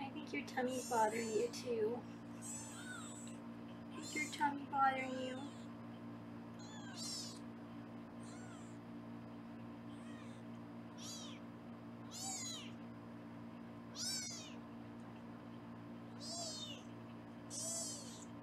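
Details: Kittens in foster care in Los Angeles, filmed on a live kitten cam while being weighed, call with thin, high, repeated meows every second or two after a woman's brief speech.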